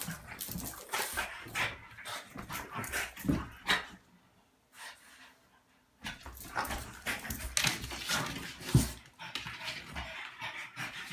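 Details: French Bulldog weighing 35 lb in rough indoor play with a 25 lb female dog; gruff growls and snorting scuffles, a brief lull, then renewed growling bursts.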